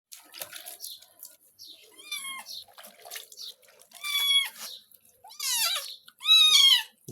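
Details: Domestic cat being bathed with shower gel and shampoo, giving four plaintive meows, each a short falling cry, spaced about one to two seconds apart. Splashing and running water sound between the calls.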